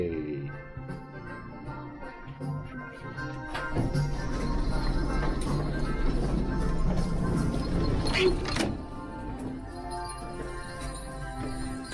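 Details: Background music with some speech and a few thuds and clatters; no animal call stands out.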